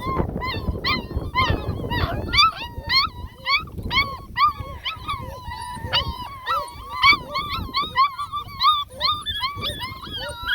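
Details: A Beagle puppy in a play area with its littermates sounds the alert as a person approaches, giving rapid, high, squeaky yapping barks, each short and bent in pitch. Identified as a Beagle puppy.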